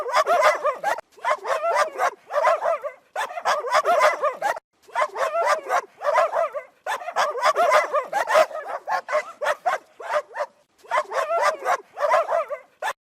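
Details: Angry dog barking in rapid, harsh volleys: clusters of barks lasting about one to two seconds, separated by brief silent gaps, continuing steadily throughout with no other clear sounds.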